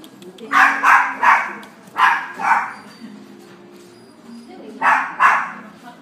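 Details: Yellow female Miniature Dachshund puppy born 6 February 2017, at a pet shop, giving short bright barks in quick clusters of two or three, with pauses between bursts and a faint low hum behind.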